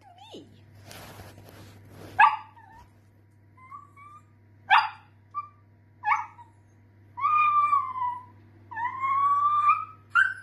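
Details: Dachshund, a sausage dog kept as a pet, giving short high whimpers and yips, then two longer drawn-out whines that waver and rise slightly, with a brief burst of rustling noise near the start.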